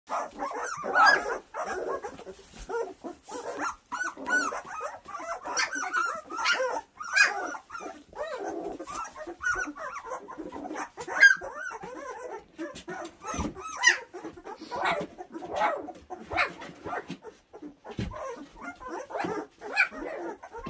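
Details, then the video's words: Two-week-old puppies from one litter, heard as a steady stream of high squeaks, whimpers and yips that overlap and rise and fall throughout, with no other sounds standing out. "April/Enno pups 2 weeks"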